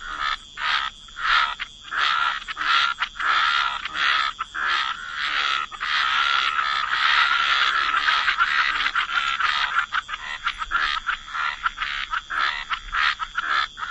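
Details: Chorus of frogs in wetland ambiance, rapid rasping croaks that run together into a continuous dense stretch midway before separating again into distinct pulses.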